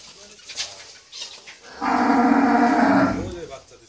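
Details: Holstein Friesian cow, which has recently calved a heifer calf for the second time and is offered for sale, giving one loud, steady, harmonic moo lasting over a second after faint background noise.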